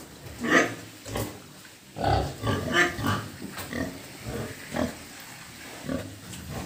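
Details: Pigs on a pig farm making deep, rough grunts spaced irregularly, a few louder and harsher than the rest, against a low steady background noise.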